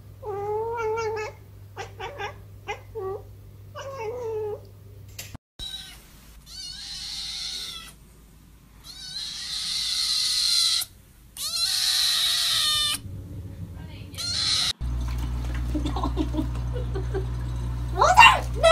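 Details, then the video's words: Cats and kittens from a meowing compilation: a run of short, quick kitten mews, then harsher noisy bursts after a cut, with a steady background hum throughout. "Funny Cats And Kittens Meowing Compilation"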